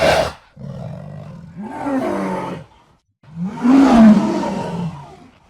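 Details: Jaguar giving two drawn-out, rasping growl-roars, the second swelling and rising in pitch before fading, after a brief sharp noise at the start.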